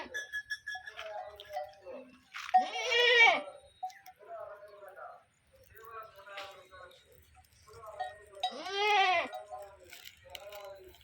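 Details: Farmed sheep in Telangana bleating twice, two strong quavering calls about six seconds apart, with people talking and bells clinking between them.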